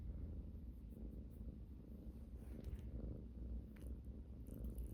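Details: Domestic cat purring continuously, a close, grainy low rumble with soft rhythmic pulses and little else heard.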